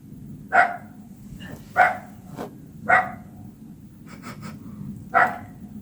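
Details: A Dachshund in a garden in summer barks in short, sharp single yaps, trading barks with the neighbour's smooth-coated chocolate dachshund, which it cannot see.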